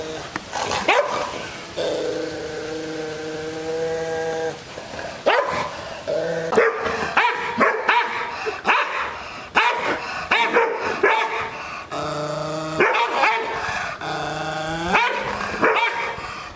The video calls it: Angry Rottweiler barking Loud 😤 😑